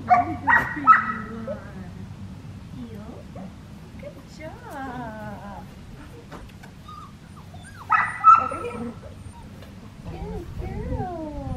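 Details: Six-week-old black tri female Australian Shepherd puppy at Fifteen Acre Farms, Oklahoma, on November 25, 2019, during heel training. Sharp high yips burst out near the start and again around eight seconds, with wavering whimpers between and a person talking.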